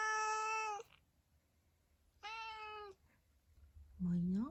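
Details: Black-and-white tuxedo cat answering its owner indoors while grooming, with two long level meows followed by a lower, rising meow, each under a second, over a faint room hum.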